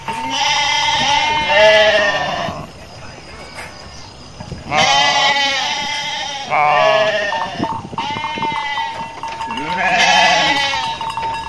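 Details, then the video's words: Garut sheep flock, dozens running through a rice-field area as male rams rage; several overlapping harsh bleats from different animals in bursts, a steady thin tone underneath, and busy background noise between calls. "DOMBA GARUT NGAMUK"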